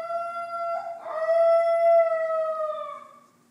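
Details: A female Basenji puppy, yodeling in her cage after people left the room, gives a long, clear, tonal yodel that breaks briefly, then holds and slowly falls.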